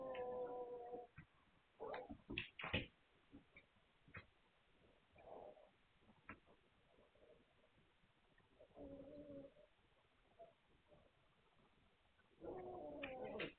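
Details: Magyar Vizsla pups whining on 9 March 2021. A steady whine opens, then come brief yelps and squeaks, a mid-pitched whimper near nine seconds and a fuller, longer whine at the close. Soft rustling fills the pauses.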